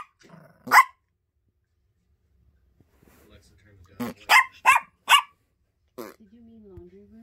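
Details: Gracie, a pet female Yorkie puppy, gives a sharp bark, then after a pause a quick run of four high, clipped barks, with a soft human voice murmuring near the start and end.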